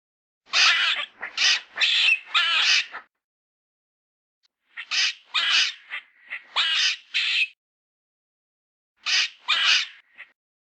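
A squirrel gives harsh, raspy chattering notes in quick bursts of three or four, separated by pauses.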